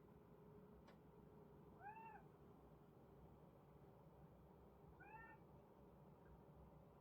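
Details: A kitten responds to unfamiliar bird sounds with two brief, quiet, arched meows about three seconds apart over a constant low hum, plus a faint click early on.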